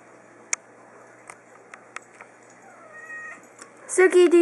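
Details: Small three-year-old female domestic cat meowing indoors while playing fetch with a ball: faint soft clicks, then a thin rising meow, ending in a loud, harmonic-rich drawn-out cry mixed with a person talking to her.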